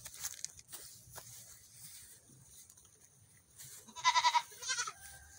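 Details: Young goat kids on a morning run, giving two short, nasal, wavering bleats near the end after a stretch of quiet rustling and faint background noise.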